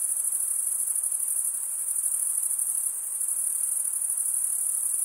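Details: Male crickets stridulating, wing scraped against the comb-like teeth of the opposite wing, produce a continuous shrill high trill with a gentle rapid pulse and a slight dip in loudness near the middle, nothing else audible.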